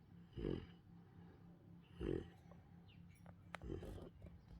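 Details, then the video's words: Sleeping Central Asian Shepherd Dog puppy snoring loudly: two deep, rasping snores about one and a half seconds apart, then a softer third snore among faint clicks and rustling. "My Central Asian Shepherd puppy Snores loudly while sleeping"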